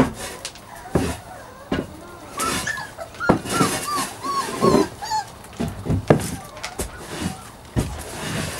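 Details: Playing puppies make a string of rising-and-falling squeaky whines and yelps through the middle, mixed with thumps, rustling and a quiet human voice.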